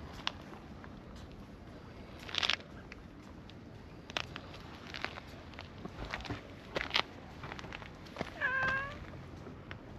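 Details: Brown-tabby-and-white stray cat at a park pond, giving one short harmonic meow near the end after a stretch of rustling, footsteps and clicking handling noises.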